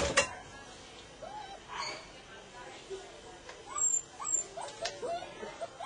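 A Golden Retriever gives soft, short whimpers that rise and fall, repeated every second or so.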